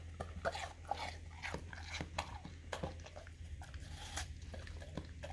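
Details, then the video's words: Indoors, a pet English cream golden retriever nibbles and chews watermelon, his favorite fruit; soft, quick, moist chewing clicks recur every half second or so, laid over a low steady hum. "Dog Eating Juicy Watermelon Slice - 8 Hours - Looped - Licking & Chewing Crunchy Fruit"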